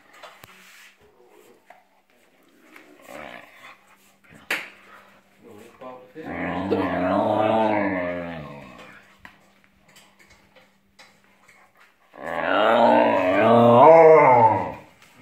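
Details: A male Vizsla gives two long, wavering, moaning growls of contentment, not threat, a joyful "singing" like pack howling when his family is together, with quiet room sounds between.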